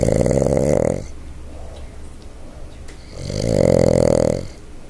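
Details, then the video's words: A sleeping Boston Terrier snoring heavily: two long, loud, rasping snores, each lasting about a second, separated by a quiet two-second pause with soft breathing noise. "Boston Terrier SNORE"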